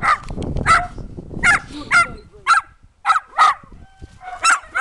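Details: Sharp, high yapping barks from a dachshund running after another dog in a yard, about nine brief bursts spaced roughly half a second apart with short gaps of quiet between them, after a rustling, noisy opening.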